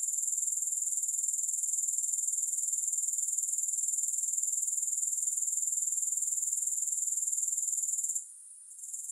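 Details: Grasshoppers, with no music, give a steady high-pitched shrill buzz, pulsing about four times per second, that runs unbroken for eight seconds before abruptly dropping to a faint hiss near the end.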